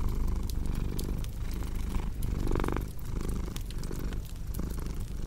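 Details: Low, rumbling purr of a cat rising and falling with each breath, with snapping fireplace crackles scattered over the top.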